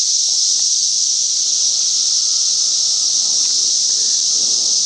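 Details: Cicadas during a mass emergence in a Chicagoland back yard make a loud, unbroken high buzz that holds steady throughout without pause.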